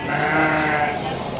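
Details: Garut sheep offered for sale at the Tanjungsari animal market in Sumedang, West Java; a sustained, steady bleat lasting over a second amid busy market background noise.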